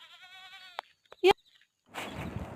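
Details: Konkani goats being brought home from the forest. A wavering, nasal bleat of under a second opens the clip, followed by sharp clicks and a loud knock, then a rush of rustling, scuffling noise.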